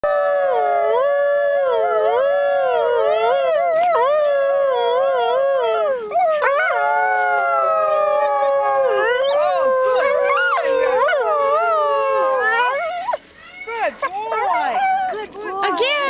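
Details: A captive coyote at a wildlife sanctuary in Sylmar, California, howls in long, wavering tones that rise and fall, breaking into yips near the end.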